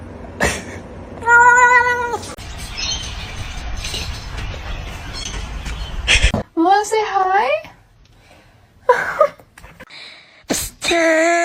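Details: A house cat meows several times indoors. First comes one steady tonal meow, then wavering, bending meows in short bursts. People talk over and between the calls, with clicks and handling noises.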